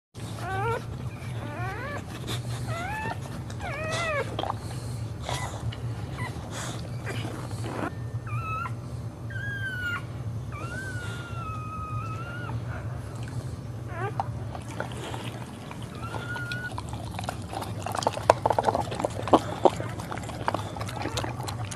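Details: Boxer dog during a birth while standing; scattered short high whines and squeaks, some rising then falling, others flat and drawn out, spread through the recording over a steady low hum.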